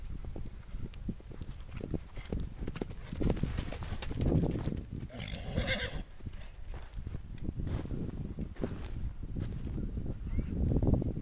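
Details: Stallion running and complaining in a field, upset because the mares are in the stables to foal; a harmonic whinny rises mid-clip over repeated thudding hoofbeats and scuffing ground noise.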